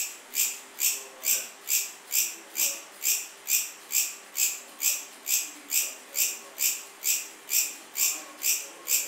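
A cricket chirps steadily, giving a bright, high pulse a little more than twice a second.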